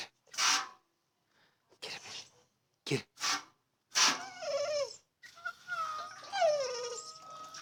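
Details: Female dog whining in distress because she cannot reach the water she loves to chomp on; short breathy snorts and huffs, then a long high whine that wavers and slides downward, with faint background noise.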